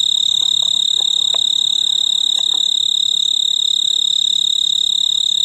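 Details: Male snowy tree cricket (Oecanthus fultoni) on a large purple clematis bloom on a veranda in mid-August summer, singing to attract a mate: a loud, steady, high trill of rapidly repeated pulses, with faint soft knocks early on.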